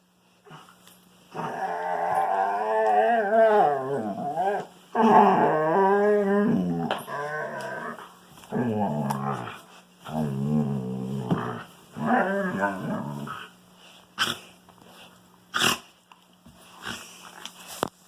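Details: Wolfdog at play with a Kangal puppy, giving long runs of grumbling, warbling growl-talk that rise and fall in pitch in bursts of one to two seconds, separated by short gaps, ending with a few sharp clicks.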